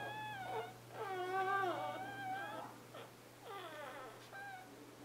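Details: Newborn Scottish Terrier puppies, born 11/11/2010; drawn-out tonal whining cries that rise and fall, several overlapping in a row, with brief pauses, faint indoor hum throughout.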